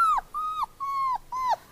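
A dog gives a run of four high, nasal whines, each drawn out and steady before sliding down sharply at its close. Short pauses separate the cries, and little else can be heard.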